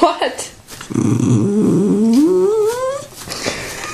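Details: A Tibetan Terrier indoors throws a fit over popcorn: a low rumbling growl that turns into a long rising whine, with a person's speech faintly around it.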